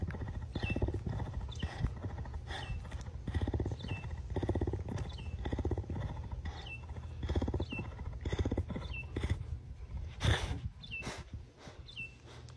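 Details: A cougar, not a pet, purrs in a deep, steady rumble that swells and eases with each breath.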